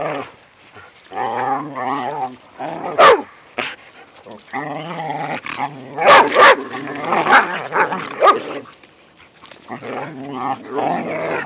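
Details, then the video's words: Whippets Mikey and Kieran romp with rat terriers in the season's first light snow: drawn-out harmonic grumbling growls in bursts of about a second, broken by sharp high yelps near three and six seconds. "snow day for whippets and rat terrier"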